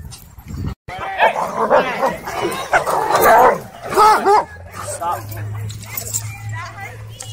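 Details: Aggressive dogs fighting at a dog park: harsh, noisy snarls and growls surge for about three seconds, then a short bark, with people talking and shouting over the scuffle throughout.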